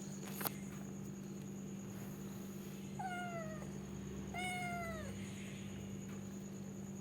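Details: Two mewing calls from a domestic cat in quick succession, each a level note bending downward, after a brief knock at the start, with a persistent low hum underneath.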